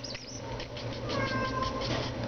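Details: A 4-month-old female black-and-white tuxedo kitten, known for a very loud purr, purrs with a steady, low rumble while a woman talks softly to her and offers a toy.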